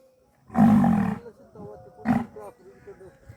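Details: Khillar bull from Salgarekhani, kept at Gherdi, Sangola, Solapur, bellowing: a deep, harmonic roar lasting nearly a second, then a shorter second bellow, with people talking nearby.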